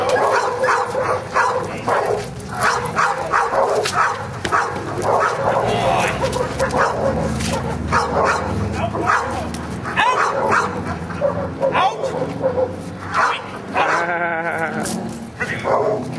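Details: Male Giant Schnauzer during Schutzhund training, working in prey, recorded 31 January 2009: rapid, repeated sharp barks throughout, with trainers talking and calling commands over the dog.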